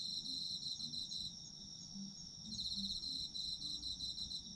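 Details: Autumn insects calling together, high shrill steady tone with quick pulsed trills fading out and returning, while faint short low tonal notes flicker underneath.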